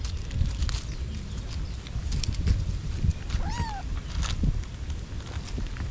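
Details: Brave mother cat guarding her kittens lets out one brief, arched meow partway through, set against constant low-pitched background rumble and scattered clicks.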